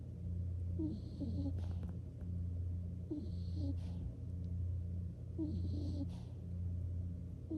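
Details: Low, rumbling snores from Nikko, a skunk falling asleep, rising and fading in regular cycles about a second apart, with faint airy hisses at intervals.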